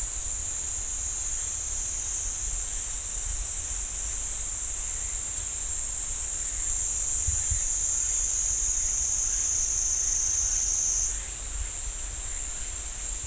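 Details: Unbroken shrill cicada drone from the pine forest at Ssanggyesa temple in Jirisan National Park, holding a steady high pitch and shifting slightly higher near the end, with no other callers heard.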